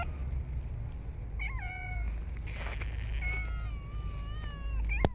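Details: Street cats fed in cold, snowy winter weather; several harmonic meows, some flat and drawn out, others bending downward, over low rumbling background noise, with a sharp click near the end.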